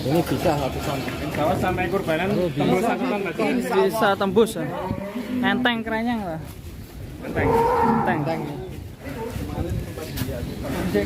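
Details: Large, rare cattle coming out of the pen; short, wavering lowing calls blend with human chatter and shouting, and a brief rising moo appears near the end.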